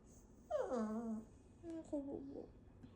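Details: Shih Tzu puppy vocalising while being talked to: a drawn-out whine sliding downward in pitch, then after a pause a few shorter wavering, rising-and-falling whines in a quiet room.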